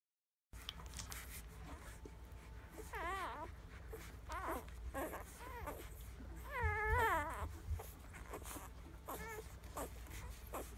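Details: Nursing puppies giving high, wavering whimpers and squeaks in short bursts, several overlapping, over a steady low indoor hum.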